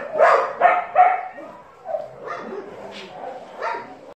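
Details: Dog barks, loud at the start and then sparser, with some softer yelping and faint background voices.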